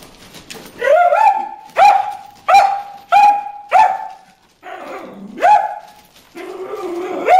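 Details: Dog named Bruce barking at fish in the water hole: rising, whining barks about one per second, some upswept into a yelp, the last few softer with a whimpering tone.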